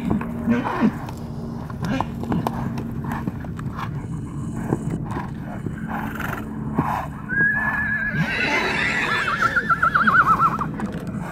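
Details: Wild stallions fighting in Arizona give a long descending whinny near the end, a shrill squeal sliding down with rapid pulses, after an early short squeal, amid hoof thuds, wind rumble and faint human voices.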